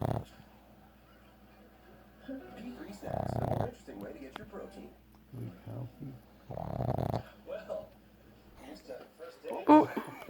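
A pug snores in rough, rasping breaths about every three and a half seconds, with people talking nearby.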